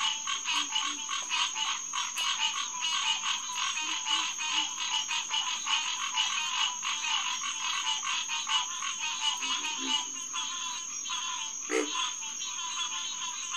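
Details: Hyla cinerea chorus at a pond by a boardwalk, SMNWR, evening of June 2, 2021: crowded, rapid honking notes about seventy a minute, with scattered deeper grunts, likely pig frog or alligator, and one lower burst near the end.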